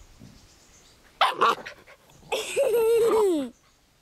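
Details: Scottish Terrier puppy playing happily in a garden: two quick yappy barks, then a drawn-out whining yelp of about a second that slides steadily downward in pitch before stopping.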